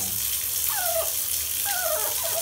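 A Yorkshire Terrier gives high, drawn-out whimpers that slide downward, two or three in quick succession, begging not to be washed. Steady hiss of running water fills the background.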